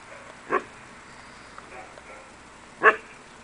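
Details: Akita Inu puppies; two short, sharp, high yips about two seconds apart, each a quick bright burst, with quiet indoor background between them and a person speaking just before.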